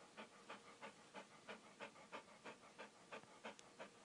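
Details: Rhythmic, even panting from a dog: soft hissing breaths, roughly three per second, with a faint steady background hiss.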